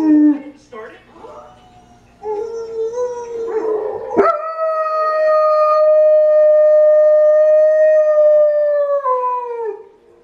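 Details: A German Shepherd howls along with wolves, giving a long, steady howl that holds its pitch and then drops away at the end.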